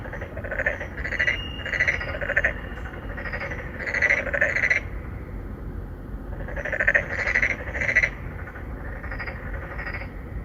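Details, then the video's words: Three or four narrow-mouthed frogs calling for females at a pond inside an apartment complex in Songdo, Incheon, South Korea, phone-recorded: rapid series of resonant bleating croaks in clustered runs, a short pause, then another chorus over faint low hum. "Who are you 넌 누구냐 Narrow mouth frog 맹꽁이"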